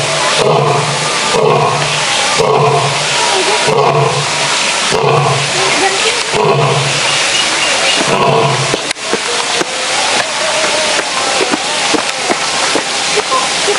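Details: Captive male lion in a zoo roaring: a run of deep, throaty grunting roars repeated about once a second for some eight seconds, under steady chatter of visitors, then crowd noise alone.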